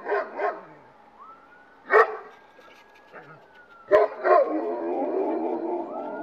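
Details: Several dogs barking and howling frantically after hearing a police siren from outside: irregular loud barks and yips, a thin siren tone sliding up and down in the background, and sustained howling toward the end.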